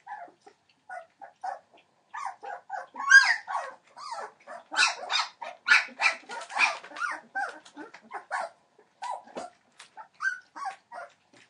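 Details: Entlebucher Mountain Dog puppies, 21 days old, from a litter born 28 December 2013 to Shadow and Falk. Scattered high whimpers and short squeaks that grow into a denser burst of overlapping yelps midway, then thin out again.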